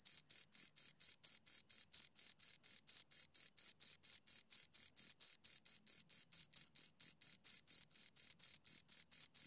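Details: Continuous shrill chirping from two crickets: a long, metronome-like series of brief high pulses, around four per second, with unchanging volume and no background noise.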